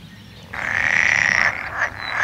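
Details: Frog calling in a single sustained trilled burst of about one second, bright and steady in pitch, then a short second note near the end; faint low background hum throughout.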